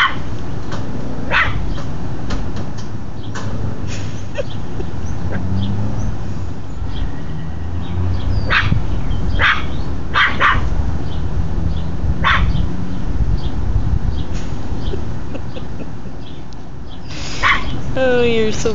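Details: Dog named Tucker barking at people next door. Scattered short barks, some in quick pairs, mixed with low droning hum and rumble, and a brief higher squeaky sound near the close.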